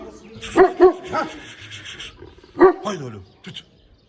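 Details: Shepherd dog, in Erzincan, gives three deep, hoarse barks: two close together, then a third after a two-second pause, with a man speaking over them.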